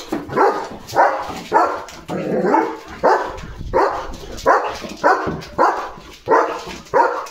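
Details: German Shepherd named Leo, a pet dog being bathed and held by the legs, giving a run of broad, harsh barks about every half second to second, fairly regular, with little else beneath them.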